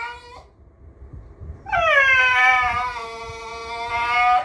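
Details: A miniature schnauzer named Homer, known for a wide repertoire of vocalisations, whines expressively: a brief low whimper, a pause, then a long, steady, nasal harmonic moan that slowly sinks in pitch, as if talking or complaining.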